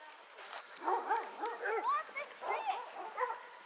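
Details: Basset Hounds from a pack of 18 walking round Belwade Farm, Dess, Aboyne, Scotland, on 10 August 2014. Several overlapping rising-and-falling bays and yelps come in bursts from the middle of the clip.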